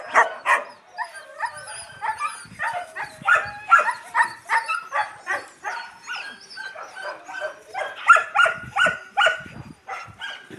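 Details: Several Yakutian Laika puppies beside their mother Rumba produce a continuous chorus of short yelps and squeaky whimpers, overlapping and uneven, with faint thin high whistling whines threading above the yapping.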